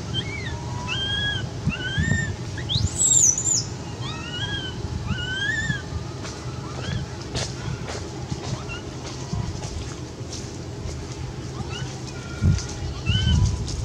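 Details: Quinton the cat, badly scared and begging for milk, gives a string of short arched meows with bright overtones, one ending in a thin high squeak, over a steady low rumble of background noise.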